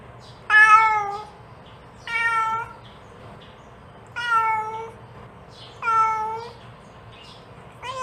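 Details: Mother cat calling her kittens: harmonic, slightly falling meows, about four in eight seconds, separated by quiet pauses, with a low steady hum underneath.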